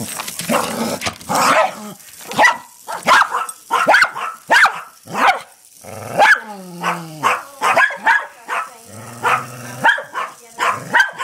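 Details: Two pet dogs barking at a hexbug toy and flipping it over: rapid sharp barks, several per second, with a few whining, growl-like drawn-out tones in between.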